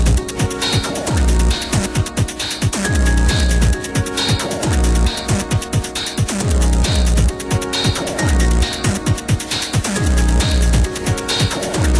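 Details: Driving electronic music with a pounding bass beat fills the recording, with no animal sounds at all. Steady synthesized layers and rhythmic kicks continue throughout without pause.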